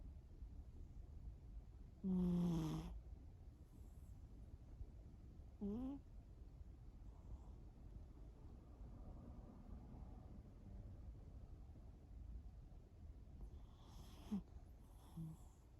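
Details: Shimao the cat sleeping and snoring: two loud snores with a falling, whistly tone over a breathy rasp near two and six seconds, a fainter one near fourteen seconds, and quiet low hum between them.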